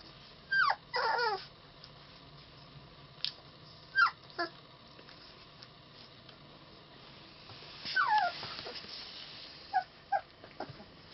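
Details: Puppies of litter H, three weeks old, giving short high whimpers and yelps in scattered bursts, some falling in pitch, several squeaks grouped close together over about eleven seconds, with faint room hiss.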